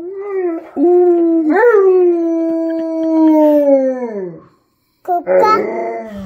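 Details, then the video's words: Tonka, an Alaskan Malamute, howls alongside a baby, Abryella, who is warming up to him and mimicking him; long, steady, tonal howls that bend upward once, hold level, then slide down before a brief silence and a fresh howl starts. "Malamute & Baby Howling!!!!!!"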